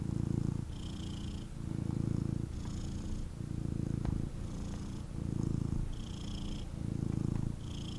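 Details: Intense purring from a male kitten cuddled indoors: a loud low rumble alternating in about one-second cycles, with a faint airy whistle on some breaths.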